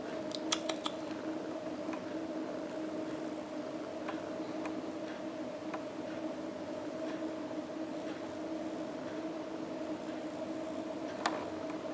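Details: Indoor appliance hum with steady tones and a few sharp clicks at the start and near the end, with no animal voice.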